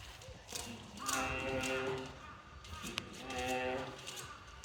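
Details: Bear cub at Showa-Shinzan Bear Ranch giving two drawn-out, nasal, harmonic moaning cries, each about a second long and separated by a short pause, over a steady background hiss with a faint click between them.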